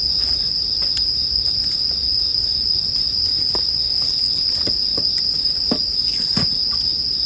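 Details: Unbroken high ringing of bell crickets under frequent snapping, popping crackles from a bonfire, several loud pops in the second half.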